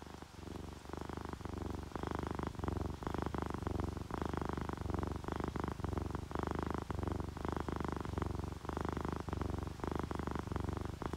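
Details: Relaxed domestic cats, a tabby and a calico, purr beside the sound of rain: a continuous low rumble in bursts of a second or two, mixed with a broad hiss of rainfall.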